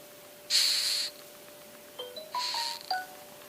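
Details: A rhinoceros beetle, the kind that damages coconut trees, gives two harsh, hissing rasps, each lasting about half a second.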